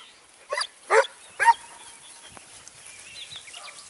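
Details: Segugio Italiano hound in Evros on 29 May 2019 lets out three loud, harmonic barks about half a second apart, then goes quiet while small birds chirp faintly in the background.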